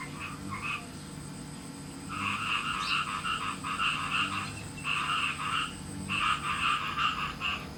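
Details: Farmed frogs calling in captivity on a day when rain is expected: bursts of rapid, rattling pulsed croaks in several bouts, each lasting about a second, separated by short pauses, with low background hum.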